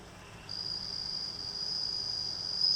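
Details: Bell cricket raised at home from a newly hatched nymph given by a neighbour at June rice planting, kept beside a house entrance in Japan after its final moult to white wings; a steady high ringing trill starts after half a second and holds unbroken over faint low background hum.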